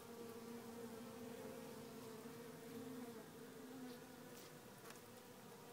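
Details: Small hive of honey bees lacking a queen, humming steadily; two clear droning tones, one low and one higher, hold for several seconds then fade into a broad buzzing wash with light rustles.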